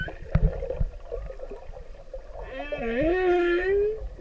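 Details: Pacific humpback whale, a male singing to a female: soft scattered clicks and rustle at first, then a smooth upswept moan that climbs and lingers as a bright, slowly rising tone near the end.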